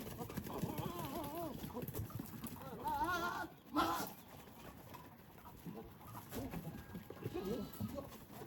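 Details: Goats in mating season, with males courting pregnant females. Wavering, quavering bleats with a strong vibrato in the first seconds, then a harsher burst near the middle and softer calls later over a steady outdoor rustle.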